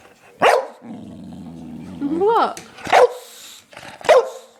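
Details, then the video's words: Sugar-high pet dog Lennox, after stealing belVita, barks once, grumbles low and steady, slides up into a rising yelp, then fires off two more sharp barks about a second apart. "Lennox's funny noises"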